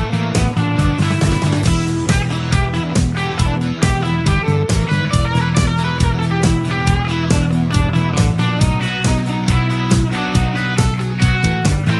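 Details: Loud rock music with driving guitar and drums throughout.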